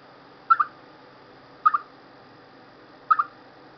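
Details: A chipmunk before bad weather gives three loud double chirps about every second and a half, each a quick pair of mid-pitched notes, against light steady hiss.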